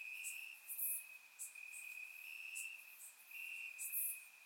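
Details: Crickets in grass on a warm Bulgarian summer night, recorded in surround sound: an unbroken high trill swelling slightly in pulses, with scattered sharp, very high chirps layered on top.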